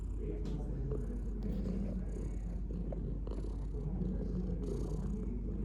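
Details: Pet cat purring, a thick low whirring vibration that never stops, rising and falling slightly with inhale and exhale, plus faint handling noises.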